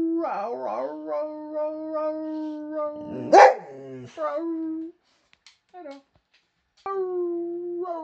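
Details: Boxer dog howling in a vocal exchange with its owner: sustained level howls with a wavering start, a brief loud burst midway, a short gap with faint sounds, then a fresh howl rising in and holding steady.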